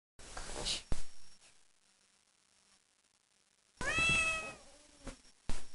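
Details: Domestic cat described as evil and aggressive, said to hurt any living thing, gives one loud, drawn-out harmonic meow of about half a second, set among handling clatter, sharp knocks and near silence.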